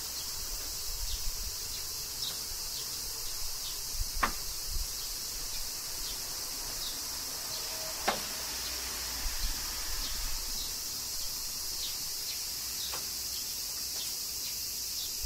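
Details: Cicadas during summer rain in Kyoto, Japan: a dense, unbroken high-pitched buzzing chorus holds steady throughout, with occasional sharp ticks and faint, regular soft pulses beneath it.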